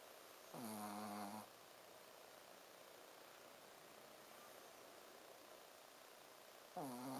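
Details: Shih Tzu named Ponzu snoring in deep sleep: two brief, buzzy, tonal snores nearly six seconds apart, each under a second long, with quiet indoor hiss between breaths.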